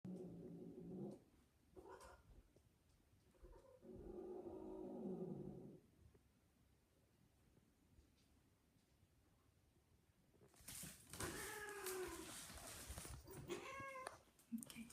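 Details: A female cat in heat, on her second mating attempt, gives low, drawn-out yowls, then a sudden loud, harsh scream while mating.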